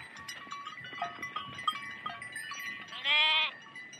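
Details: Sheep herd wading through water, with bells clinking and splashing for three seconds before one loud, wavering bleat near the end.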